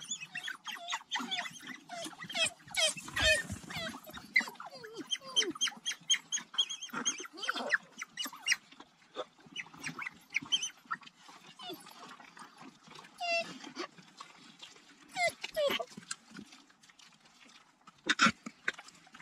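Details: African wild dogs (painted wolves) return to their den to feed puppies on a private game reserve in South Africa's Kalahari Desert, filmed on a GoPro. Many overlapping high twittering squeals and chirps come in irregular bursts throughout.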